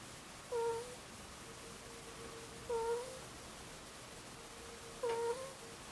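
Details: Snoring from a two-year-old Angora ferret asleep: three short, squeaky coo-like notes with a slight dip in pitch, one roughly every two and a quarter seconds, over a faint continuous hum in a quiet room.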